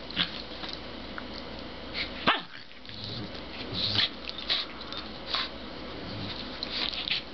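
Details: Two Pembroke Welsh Corgis in a mellow play session on a bed make short, sharp barks and yips among scuffling and rustling noises.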